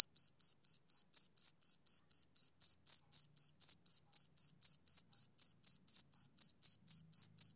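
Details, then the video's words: A male cricket chirps through a summer evening in a fast, regular series of shrill pulses, close to four per second, clean and unaccompanied. "Cricket Chirping Sound Effect"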